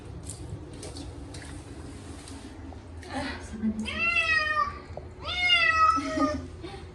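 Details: Short-legged Munchkin cat Chacha screams through his first bath in a year, two drawn-out descending meows after a few seconds of water sounds and a faint voice.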